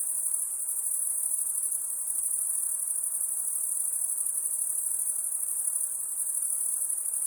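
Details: Night-time cricket sound: one continuous, very high, pulsing buzz holding an even level from start to finish, with only soft background hiss underneath.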